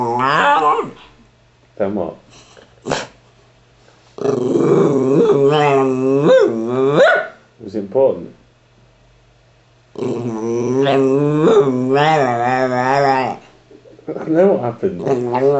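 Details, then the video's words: Pet Patterdale Terrier 'talking' in conversation with its owner: long, warbling, groaning yowls with bending pitch, broken by short gruff growly bursts and pauses, repeated in several bouts indoors. "Patterdale Terrier - Jeff The Talking Dog"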